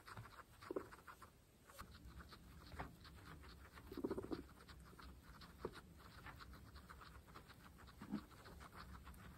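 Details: Munching sounds from pregnant female guinea pigs feeding on fresh grass, with a few soft low grunting squeaks spaced several seconds apart over the crunchy chewing.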